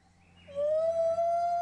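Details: A female gibbon at a Phuket, Thailand rehabilitation centre gives her great call, a clear, pure whooping note swelling and rising, alternating with the male to signal a pair holding territory.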